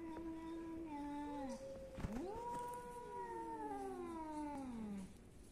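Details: Cats in Athens, Greece, meowing; two long drawn harmonic meows overlap, one steady then sliding down, another rising and falling, with a short break near the middle and low background hum.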